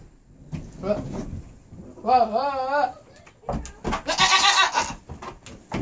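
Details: Three-year-old Nigerian Dwarf goat, indoors, vocalizing to its owners with varied inflections: a wavering, harmonic bleat lasting about a second, a brief lower call, and a harsher, noisy cry, mixed with human speech.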